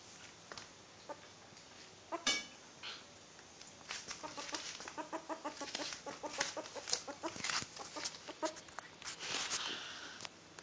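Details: Six-week-old baby ferret kit named Janko Junior, happily dooking after being let out; rapid soft clucking chatter in bursts, pulsed and repeated many times per second, with brief sharper clicks between.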